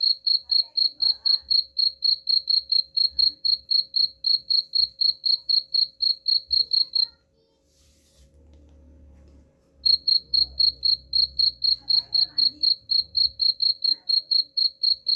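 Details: Repellent cricket chirping against rats, long runs of sharp high pulses about four per second, interrupted by a roughly three-second gap filled with low murmuring, then chirping again over a soft hum.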